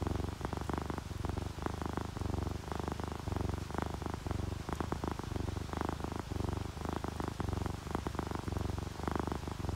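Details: Sleeping house cats, ginger tabby and calico, purring contentedly with rain sounds; strong low-pitched rumble in steady repeating pulses, a broad wash of rain noise throughout.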